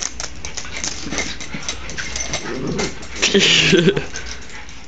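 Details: Dogs wrestling in play, one called Oscar: scuffling and rustling throughout, a low rumbling growl mid-way, then a brief high whining yelp with tonal squeals near the end.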